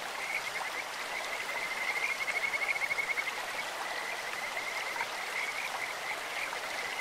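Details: A Kajika frog in a clear stream gives a sustained trill of fast, high, bird-like pulses that swells and then fades. Softer notes follow against continuous flowing water.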